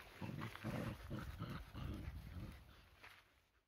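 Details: Tricolor Shetland Sheepdogs tugging in play, a lighter dog against a heavier; a quick series of short, pulsing growls that trail off into quiet.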